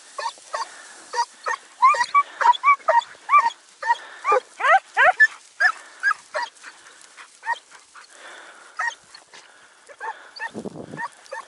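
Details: Sofiko, a Segugio Italiano, giving tongue on a hare hunt in Evros, 5 October 2019, following a night of storms and rain. A long run of sharp, rising yelps, a brief lull, then scattered barks resume.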